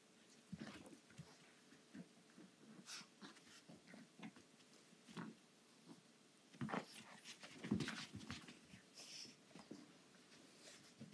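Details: Female pug puppy indoors, roughly playing with an anglerfish toy; short wheezy snorts and huffing breaths come in irregular bursts, with soft thumps and rustles from the toy between them.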